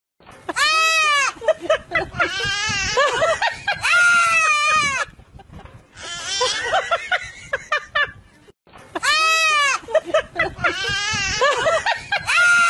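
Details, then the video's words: Goat giving loud, wavering bleats in short bursts, trading back and forth with a young child's high cries and screams, with brief pauses between the exchanges. "Goat Vs Baby Sound Funny"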